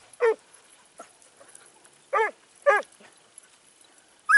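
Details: Italian hound (Segugio Italiano) in training at Sofiko, Evros, 12 September 2018, letting out four sharp, clear barks with a strong ringing tone, irregularly spaced with short gaps of near silence.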